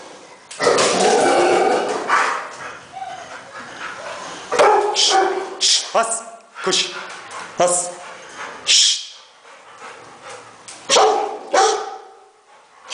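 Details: Rottweiler in Nigeria giving short harmonic barks and whimpering yips in scattered bursts, mixed with people talking and hushing the dog nearby.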